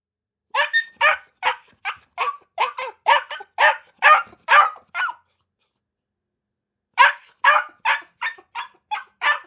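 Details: Akita puppies barking in quick high yaps, two bursts of sharp repeated barks about twice a second separated by a pause, no other sounds.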